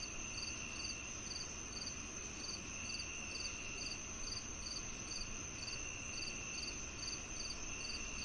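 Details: Crickets heard for natural tinnitus relief, chirping in a steady series of short, sharp, high pulses a little over two per second, layered over an unbroken shrill insect hum and low rustling hiss.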